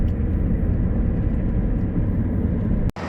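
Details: Loud low engine or aircraft drone that cuts off abruptly near the end, with no animal calls.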